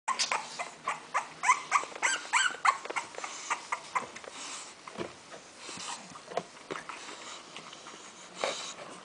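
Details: A litter of six English Bulldog puppies, four female and two male, gives rapid, high, squeaky whimpers and yips in a small room.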